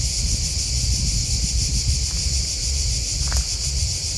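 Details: A constant high, buzzy cricket chorus with rapid pulses, one brief sharper click near the end, and a deep rumbling background.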